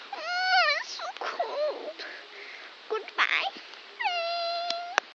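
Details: Pet Italian Greyhound howling its rain song while it rains: long, tuneful, wavering howls, rich in overtones, opening and closing the passage, with brief whines and a person's voice in between.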